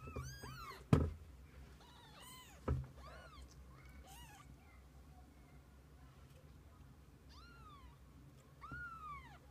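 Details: Kittens and their mother cat together through the day; a rapid run of loud, arched meows with two sharp thumps, a pause, then two more drawn-out meows toward the end.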